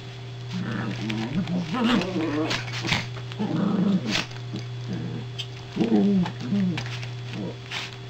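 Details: Toy poodle, one of two dogs, around a second soft crate that has just arrived; low grumbling, warbling whines come in three bursts, with soft clicks and a constant background hum.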